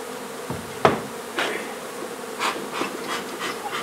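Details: Honey bee colony buzzing during a hive removal at an old home under renovation in Donna, Texas. A steady mid-pitched hum is broken by sharp knocks and scraping bursts at intervals.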